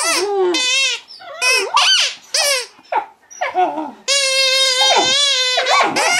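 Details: Mastiff puppy, a female, answering her squeaky toy with drawn-out high whines and squeals, some wavering, some sliding up and down, with a long steady whine near the end and short breaks in between.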